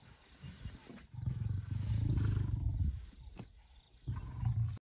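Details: Wild lions in a pride of seven feeding at a kill, Sabi Sands, South Africa, late afternoon in 2020, recorded on an iPhone: deep rumbling growls in a long continuous stretch, a short pause, then growling resumes.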